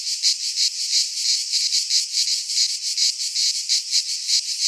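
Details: Cicadas of Greece singing in a pine forest during midsummer, a high rasping buzz beating in fast, fairly even pulses several times a second, with no birds or people.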